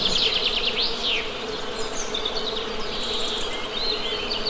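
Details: Western honey bees humming in a steady low drone, with bright, quick bird chirps and trills rising above it throughout.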